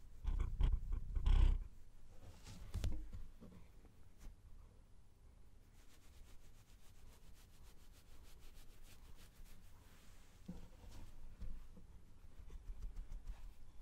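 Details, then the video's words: A pet cat purring as it is stroked in a small room, a low droning rumble running under a few loud bursts of rubbing and handling near the start, then quieter steady purring with light brushing sounds. "Cat Sounds (Petting the Cat, Purring Sounds)"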